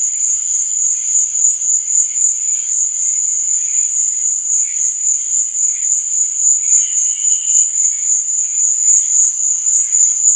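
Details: Night-time cricket chorus: an unbroken, shrill, rapidly pulsing trill holds one high pitch throughout, while softer, lower warbling chirps come and go beneath it.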